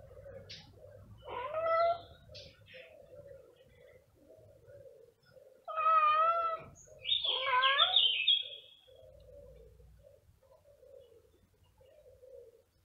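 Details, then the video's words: Male cat searching for the scent of a female, meowing loudly: two drawn-out harmonic meows, the second ending in a higher wavering cry, separated by low murmuring sounds and a faint steady hum. "This male cat looking everywhere for the scent of a female cat. His Meowing is loudly"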